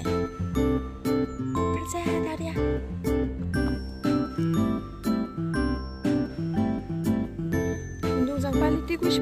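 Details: Bright, bouncy children's-style music with tinkling chime notes and a steady beat, with no animal voice heard.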